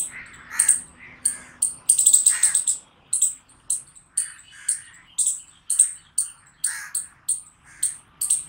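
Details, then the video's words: Chipmunk giving a run of bright, piercing chirps, each short and sharp with a softer lower tone beneath, repeated about twice a second in an even, insistent rhythm; quiet background. "Cute Chipmunk Chirping Sounds"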